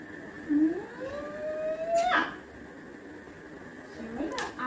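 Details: Labrador Retriever, apparently named Coco, giving a drawn-out whine that climbs steadily in pitch for over a second, broken by a short sharp noise, then a softer wavering whine and a final click.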